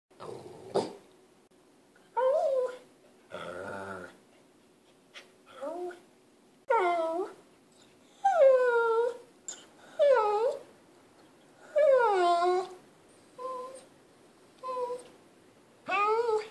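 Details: Lhasa Apso named Beethoven, indoors, vocalizing because he wants to play; a series of harmonic, wavering yelps and whining barks, each falling in pitch, repeated roughly every one to two seconds.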